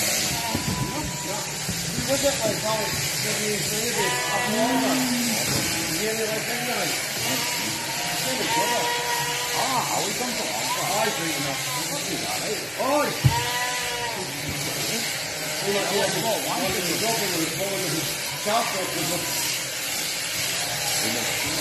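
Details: Cheviot sheep at shearing time, several animals bleating in quick overlapping succession, short and quavering calls crowding one another throughout, with human voices mixed in and a steady hiss underneath.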